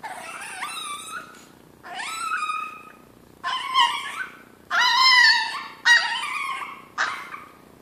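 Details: Chino the Chihuahua, hungry for breakfast, gives six insistent cries. Each is a harmonic whine that swoops up sharply and then wavers, some squeakier and louder toward the middle, separated by brief pauses.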